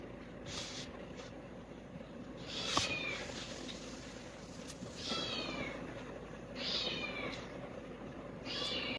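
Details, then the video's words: Kittens calling noisily after spotting food: repeated short, high-pitched, downward-sliding meows at about three, five, seven and nine seconds, with a click and steady background hiss. "These kittens started making a lot of noise after seeing food"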